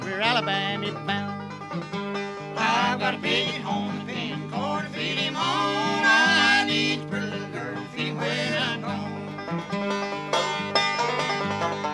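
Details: Bluegrass music with banjo and guitar playing throughout, no animal voice.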